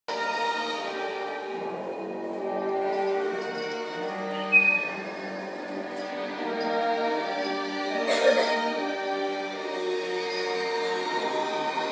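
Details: Orchestral music with sustained string-like tones plays throughout, with a brief clatter in the middle and no animal voice heard.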